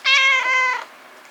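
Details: Rescued kitten, chatty and deeply attached to its foster mother cat, meows indoors: one loud, bright, harmonic-rich cry of about 0.8 seconds, strong at onset then easing slightly before stopping, in a quiet room.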